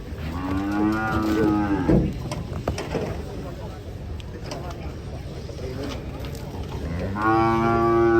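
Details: Cattle lowing: a drawn-out harmonic moo opens, a busy stretch of background noise and clatter follows, then a second long, steady moo closes.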